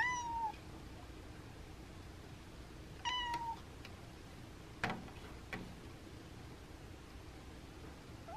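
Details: Indoor house cat begging to have the window opened on a cool, windy day, giving short meows about three seconds apart, each a brief tone gliding slightly down, with faint knocks and clicks between.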